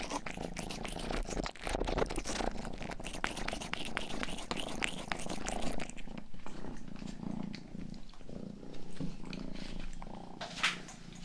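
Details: Indoors, the youngest house cat Rang-i purrs while licking the ears of a 3Dio binaural microphone; a deep, continuous rumbling purr dominates, layered with quick moist licking strokes that thin out in the second half.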